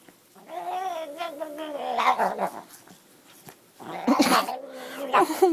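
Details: Domestic cat scratched on its back, making an incredibly weird noise while twisting and turning: drawn-out wavering whines and moans with a rough growling edge, rising and falling in bursts, brief quiet gap midway, then harsher strained cries.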